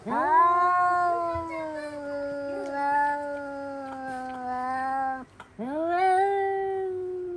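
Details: House cats yowling loudly indoors on noticing a cat outside; one very long, sustained wail gently falling in pitch for about five seconds, cut by a brief gap, then another rising, loud howl.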